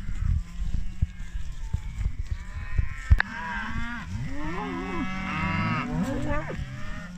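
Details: Group of 25 British Friesian maiden heifers: knocks and low rumble at first, then several overlapping moos in the second half, wavering deep lows from more than one animal calling together.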